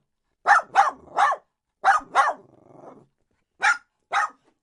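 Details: Domestic dog gives barks in quick groups of three, then two, then two again. A faint low growly tail follows the middle pair.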